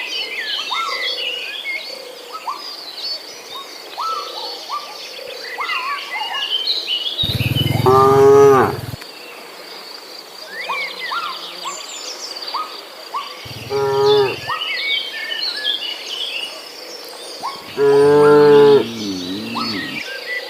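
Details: Village cattle in a herd searching for fresh grass moo three times, at about 7 to 9 seconds, 13.5 to 14.5 and near 18 seconds, each a harmonic-rich low call; between them many chirping birds and insects fill the background.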